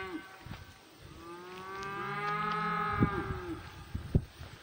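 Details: Cows mooing in a pasture, one black cow coming close: a long drawn-out moo with rich stacked harmonics, swelling then falling away, over a few soft thuds and rustles.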